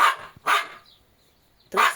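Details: Jack Russell Terrier Treisy, one of two dogs with Azzuro, called very loud in Latvian: three sharp barks, the first two half a second apart, then a longer silence before the third.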